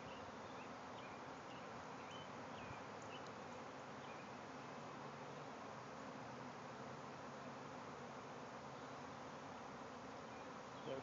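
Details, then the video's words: Bees in a swarm emerging from a backyard hive, thousands flying over the yard near a shed and swarm box; an unbroken, level hum persists throughout, with sparse faint bird notes early on. "Bees swarming out of a hive"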